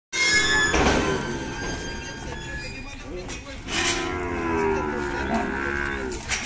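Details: Cow lowing at a virtual cattle auction in Monte Aprazível, São Paulo, Brazil, lot of 16 cows, 24 April 2021: a long harmonic low moo at the start and another drawn-out call after four seconds, with background voices and music.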